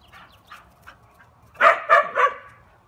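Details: Soft yips and whimpers give way to three loud, sharp barks in rapid succession from Taco Gary, a dog.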